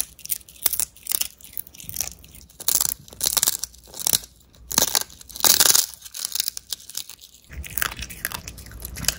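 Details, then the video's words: Som the dog eating dried haddock crunchy sticks as a special treat: loud, dry crunching bites in quick bursts, each chew a sharp crackle, with short pauses between mouthfuls and faint room background. "haddock crunchy sticks eating sound"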